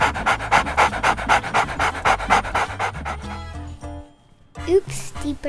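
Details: Twelve-week-old golden retriever puppy playing in the snow during its first snow storm, recorded on an iPad; quick rhythmic panting, about four breaths a second for three seconds, then a pause, with background music and a voice.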